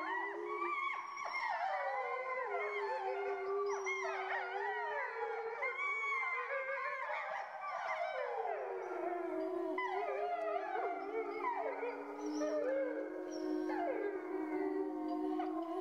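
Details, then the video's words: Chorus of grey wolves in France: overlapping long howls, one voice sliding up then gliding down, others wavering and quavering higher, all blending into a continuous rich howling with no other sounds. "le chant des loups"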